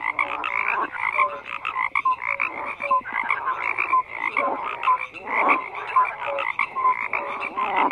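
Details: A crowd of frogs croaks in a busy chorus, with buzzy pulsed calls and brief clear tones tumbling over one another, loud and unrelenting.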